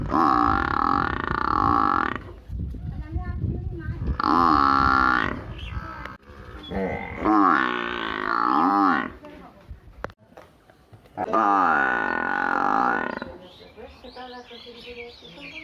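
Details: Buffalo kept in a village, calling repeatedly: several drawn-out harmonic bellows of one to two seconds each, separated by quieter stretches holding rustling and other faint sounds.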